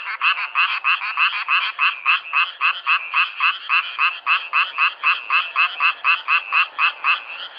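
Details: Frogs recorded in nature, a steady fast series of short raspy croaks, about three to four per second, in a dense continuous chorus.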